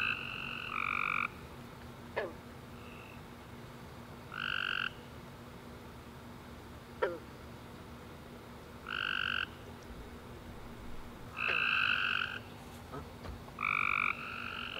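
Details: After a warm rainy summer day, tree frogs call at night in short harmonic trilled bursts spaced irregularly across the quiet, joined by scattered soft chirps and a constant low hum.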